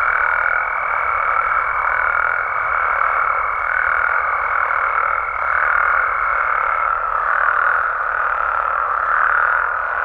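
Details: Mexican frogs and toads at night, dense overlapping croaks forming a continuous chorus with soft rhythmic surges, a steady high whine running through most of it before stopping.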